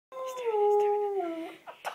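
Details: Dog howling on the phone: one smooth, tonal howl of about one and a half seconds that slowly slides downward, ending in a faint breathy sound.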